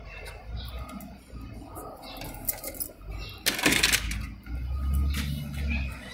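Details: Indoor clattering and mechanical rattling over a low hum, with one loud rustling burst and no animal voices. No calls or cries stand out from the background.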